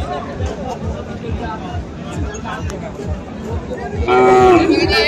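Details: Friesian and crossbred bull calves at Ambari cattle market in Dinajpur, Bangladesh, on 19 February: after four seconds of crowd chatter and babble, one loud, harmonic, drawn-out bawl rises near the end and lasts about a second.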